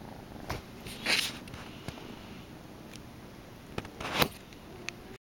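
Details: A grey male Domestic Shorthair kitten purrs in a soft, steady, low rumble, broken by brief rustling and scratching sounds.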